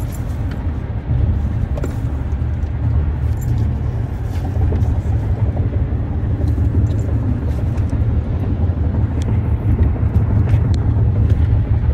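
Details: Loud, steady rumble of road traffic outdoors, with faint voices and no clear animal call.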